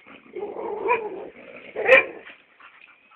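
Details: Chocolate brown Labrador named Hugo making a drawn-out, whining vocalisation that rises in intensity, then one short, sharp yelp near the end before it fades out.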